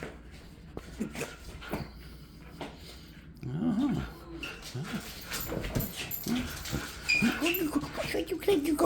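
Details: Husky playing tug of war, giving a run of short, arched, moaning growl-whines, several per second in the second half, over a man's playful teasing speech and rustling.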